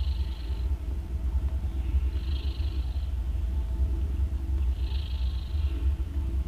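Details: A nursing mother cat snores loudly while her three newborn kittens, two orange and one grey, feed. A deep continuous rumble carries a soft airy swell that repeats roughly every two and a half seconds.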